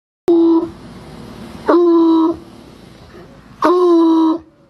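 Bloodhound giving three short, steady, mournful howls spaced about two seconds apart.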